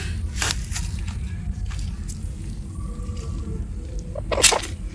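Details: Only rustling, handling thumps and a low rumble are heard, with no clear animal voice. A couple of sharp knocks stand out near the start and end.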